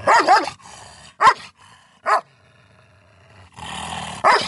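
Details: A Miniature Schnauzer facing a German Shepherd gives sharp, clipped barks in short bursts, spaced about a second apart.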